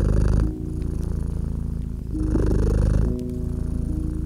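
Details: Low, throbbing purr from a cat lying near a crackling winter fire. It breathes in loud and soft phases every second or so, with quick crackling pops and a faint gliding tone drifting through.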